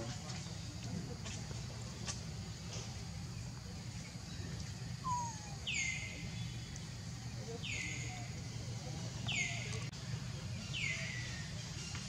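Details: Hungry baby monkey Leo crying to beg its mother for milk: four high, thin whistled cries, each sliding steeply downward then trailing off, repeated roughly every one and a half seconds over a steady low rumble and scattered clicks.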